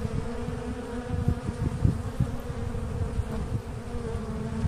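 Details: Asian honey bees during a natural colony split (swarming), giving a dense, low, continuous droning hum with a steady tone and irregular rumbling pulses of louder buzzing throughout.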